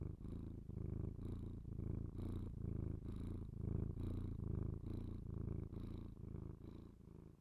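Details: Domestic cat purring close to binaural microphones for ASMR; continuous deep rumble in about a dozen rhythmic breath phrases, louder in the middle, with light breathy noise between them.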